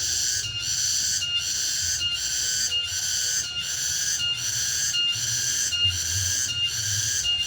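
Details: Cicada song, known locally as tonggeret, in the late afternoon in the remote interior: a dense, high, sizzling buzz with regular short breaks roughly every 0.75 seconds above faint broadband background hiss.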